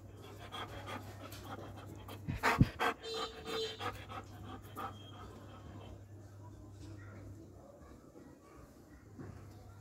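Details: Doberman panting in quick, rhythmic breaths several times a second, with a short burst of louder noise partway through, then softer breathing over a low steady hum.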